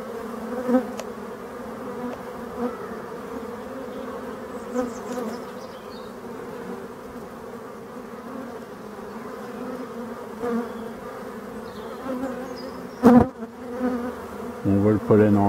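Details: Black honey bees in Brittany, France, with pollen seen being carried in; a continuous droning hum, soft swells every few seconds and a sharp louder burst near the end.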